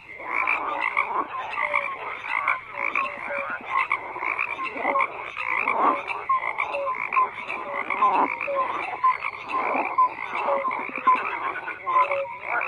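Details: Frogs croaking en masse: thick layered rattling calls, with brief clear tonal notes popping out repeatedly over roughly twelve seconds of unbroken chorus.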